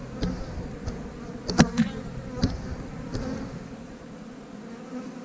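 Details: Honey bee colony humming softly as hive frames are shifted to an eight-frame box for extra room; a low, even drone punctuated by a few sharp taps and clicks of frames.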